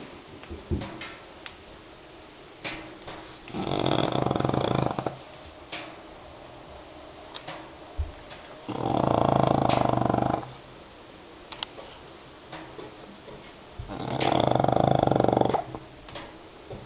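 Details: French Bulldog named Cerbere asleep indoors, snoring loudly in long rasping bursts of about two seconds, three big snores spaced roughly five seconds apart with quieter snuffling breaths between them.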